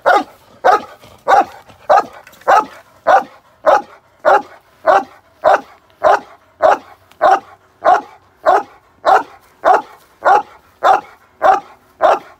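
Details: Steady, evenly spaced barks from a male Cane Corso in protection training, London, UK, about twenty deep barks in a regular rhythm, roughly one every 0.6 seconds, with a clean background.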